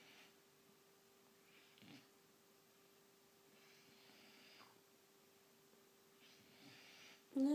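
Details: Nanook, a 17-week-old white German Shepherd puppy, asleep and snoring: soft, breathy, airy snores in slow bursts about every two seconds in a quiet room, with a steady faint hum and a person's voice at the very end.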